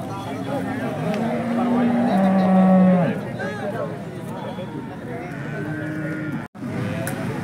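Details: Holstein Friesian cattle at a cattle market in Peth Vadgaon, Maharashtra, India: a loud, low, steady moo from about two to three seconds, its pitch stepping down, amid crowd chatter, voices and vehicle noise.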